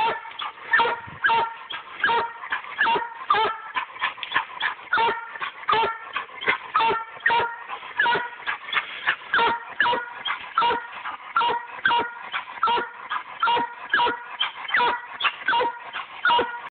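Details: A Black and Tan Coonhound barks steadily and insistently at a tree, short loud chops repeating more than once a second.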